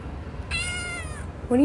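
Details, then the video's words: Kitten meowing once indoors: a clear mew of about three quarters of a second that slides gently downward with many overtones, followed immediately by a person starting to speak. "Most Cutest Kittens Meowing Compilation 2021"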